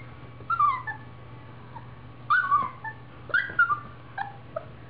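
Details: Mercedes, a playful Siberian Husky puppy, gives four bursts of high-pitched yelping whines roughly a second apart, each sliding downward in pitch, with a faint steady hum underneath.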